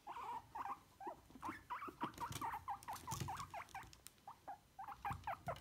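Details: Guinea pigs being brushed give quick, bright squeaks in an irregular stream, some paired or bending upward, along with a scratchy brushing patter and occasional soft thumps.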